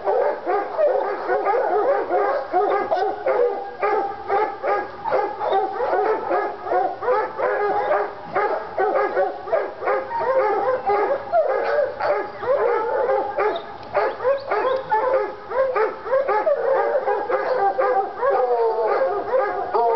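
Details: Treeing Walker Coonhounds Lady and Cooper in North Carolina, worked up by a coon skin; rapid, dense barks and short bawls pile over one another, some whining yips mixed in, steady excitement across the whole stretch.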